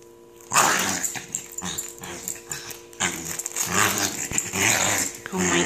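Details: Female corgi wearing a Thundershirt, upset while trying to get out of the velcro garment; harsh, raspy growls and wheezy grunts in uneven bursts, with a person speaking nearby.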